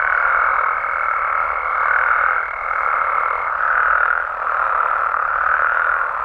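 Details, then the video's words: Night chorus of frogs and toads in Mexico, a thick mass of croaking that swells and dips about every second, over a steady high thin tone that fades out midway. "Mexican Frogs & Toads Sounds"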